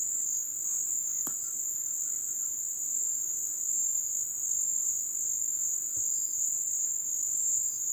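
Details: Crickets in the wetland at ebb season, deep in the jungle: one unbroken, even high-pitched trill fills the whole stretch, with a few faint ticks and a single sharp click.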